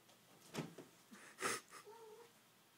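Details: Pet cat named Lion, indoors in a living room, playing with a candle ribbon; a short soft meow with a gently falling tone near the end, preceded by rustles and thumps of play in a small room.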